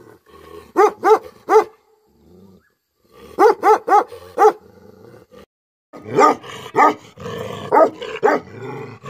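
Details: Deep barking from an angry Tibetan Mastiff (Bhote Kukur): tight clusters of three or four resonant barks separated by short silences, ending in rougher, hoarser barks over a noisy background.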